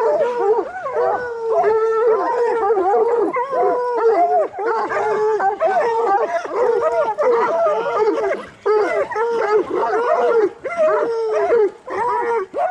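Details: A pack of coonhounds, bluetick and black and tan, training for raccoon hunting, raising a loud overlapping chorus of long wavering howls and short bawls, several voices stacked together with barely a pause.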